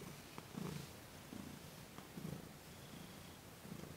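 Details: Thomas, a pet cat, purring under massage and Reiki on December 28, 2021. Low, buzzing purr surges repeat about every 0.8 seconds in a relaxed breathing rhythm, with light brushing noises and faint taps.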